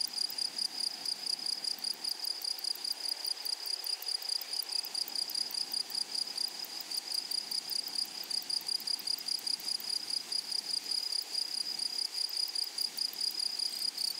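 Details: Flowery-meadow grasshoppers giving a sustained high, metallic buzzing trill made of rapid regular pulses, steady and loud from start to finish, with soft background hiss.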